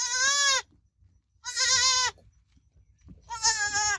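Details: Kid goat calling in quick succession, three strained, vibrato-laden bleats each about half a second long, separated by short pauses with faint low rumbling.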